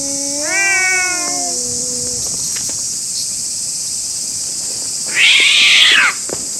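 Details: Fighting stray cats in a Japanese park: one rising-and-falling yowl, a quiet pause, then a loud harsh hiss lasting about a second, with a continuous high insect hum in the background.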